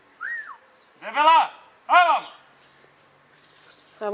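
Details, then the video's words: Dunja, a German Hunting Terrier, working wild boar outdoors: two loud, harmonic yelping barks about 0.7 seconds apart, with a short whistle-like sound just before and a quiet pause afterward. "DEUTSCHER JAGDTERRIER DUNJA VS WILD BOAR-DUNJA NA VEPRA"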